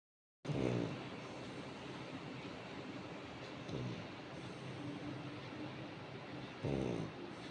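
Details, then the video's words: Coco, a Labrador Retriever, snoring: two rough, pulsed low snores, one at the start and one near the end, with a fainter one between, over a steady hiss of background noise. "Coco is snoring"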